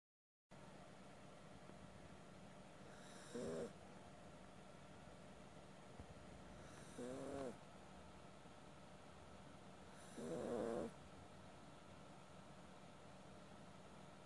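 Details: Sleeping Maltese dog snoring indoors: three rough, breathy snores at roughly three-to-four-second intervals, each lasting under a second and rising above a steady low background hum.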